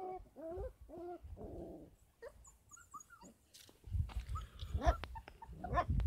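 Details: Kangal pups, 33 days old, at a Kangal dog farm: three tonal, wavering whines open, then scattered squeaks and a rising yelp over rustling and shuffling.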